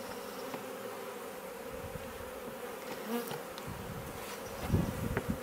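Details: Swarm of honey bees moving in and out of a bait hive, Leicestershire garden, England, June; sustained humming buzz with close fly-bys rising in loudness, and a burst of low rumbling knocks near the end.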